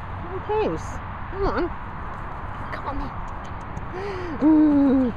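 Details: Dachshunds giving a string of high, wavering whines and yelps that bend up and down, ending in a longer drawn-out falling whine, with a person's voice in the background.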